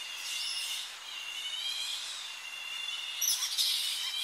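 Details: Tonga flying fox colony in early morning, bats returning to roosting trees on the coast, recorded close up; a continuous mesh of high, shrill squeaking calls with wavering tones, swelling into a louder burst of chatter near the end.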